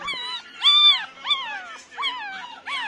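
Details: Nine-day-old Pomeranian puppies crying: five high, arched whines, each rising then falling, with bright harmonics, spaced about every two-thirds of a second, some louder and longer than others.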